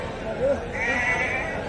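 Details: Sheep bleating at a livestock market: a short wavering bleat near the start, then a longer harmonic bleat in the second half, under continuous men's voices bargaining over prices.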